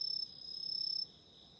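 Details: Autumn insect trilling near a candle flame, a bright, rapid pulsed chirr lasting about one second, with a steadier lower trill continuing underneath, before the loud trill stops and only a soft hum remains.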